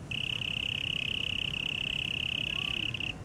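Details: A cricket in Taipei Botanical Garden trills steadily on one high, pure pitch, a continuous rapid pulsing that runs unbroken for about three seconds over a faint low background rumble.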